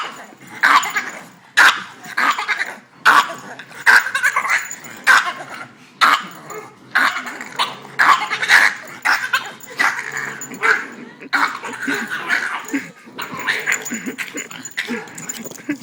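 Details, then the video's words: Boston Terrier going nuts with frustration at not playing with the other dogs, producing a long rapid series of yelping barks and strange squeals, bursts coming roughly every half second with brief pauses. "Boston terrier making alien noises"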